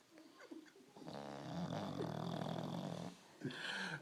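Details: Sleeping bulldog gives a long, coarse, rumbling snore of about two seconds, rough and growl-like, framed by softer snuffling breaths before and a shorter rasping breath after.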